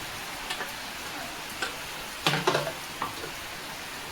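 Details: Soft crackles and a few sharp taps sound over a steady hiss, and no animal voice is heard.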